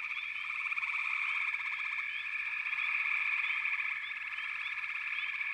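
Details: Continuous massed frog calling, a bright pulsing trill with rapid overlapping notes and frequent brief rising chirps from individual callers.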